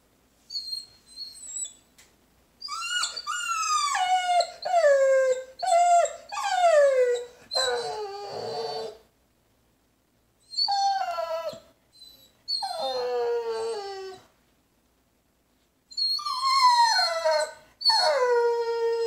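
A Vizsla whimpers and cries, each whine starting high and falling away into a lower, drawn-out tone. The whines come in uneven bursts separated by brief silences.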